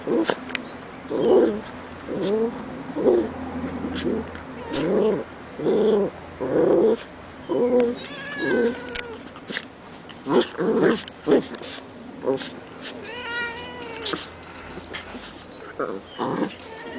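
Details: Cat being teased by three dogs, giving a run of harsh, drawn-out wailing cries roughly once a second, some rising and wavering, with short gaps between.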